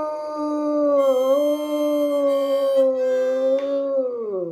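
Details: A Bloodhound howls along with a harmonica, giving a long, steady, mournful howl that wavers slightly and falls away at the end.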